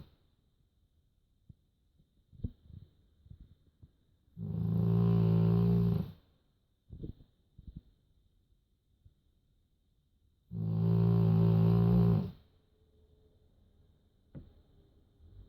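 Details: Sleeping dog named Joschi snoring in a quiet room, two deep buzzing snores about six seconds apart, each lasting nearly two seconds, separated by soft shuffling clicks and breaths.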